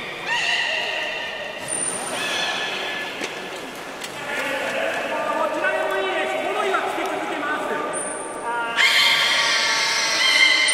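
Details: Belugas being moved between pools at Port of Nagoya Public Aquarium, 11 August 2018, in an unsuccessful attempt to exchange Nana and Hodoi. Continuous stacked harmonic squeals and creaky tones, brief piercing high whistles near two and eight seconds, and a louder burst toward the end.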